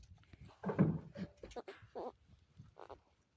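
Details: Baby goats being held give short, quavering bleats, several in a row, while chewing on their holder and waiting for milk; a person's voice is heard in the background.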